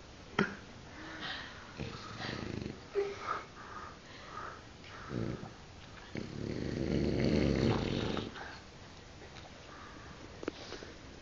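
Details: French Bulldog asleep indoors, giving a series of soft snorts, sniffs and wheezy breaths, then a longer rumbling snore in the middle, with quiet gaps between breaths.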